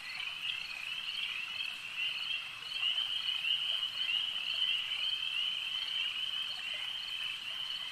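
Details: Frogs at a lake keep up a high, continuous trilling chorus that swells slightly midway, individual calls indistinct within the dense wall of sound.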